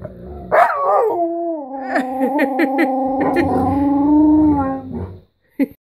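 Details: Hungry pet Alaskan Malamute and Husky, Guinness and Carling, asking for breakfast with a long sustained, steady-pitched howl lasting about four seconds, opened by a sharp yelping rise, with faint clicks and a woman's voice.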